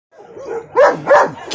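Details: Dog barking twice in quick succession, short harmonic yelps rising sharply then dropping, preceded by a softer whine-like sound.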